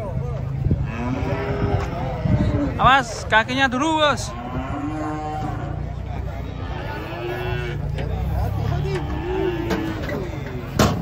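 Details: Giant cattle coming down from a truck in the morning bellow in a cluster of loud, sharply wavering moos around the third second, then softer lowing, over a constant deep engine hum and chatter.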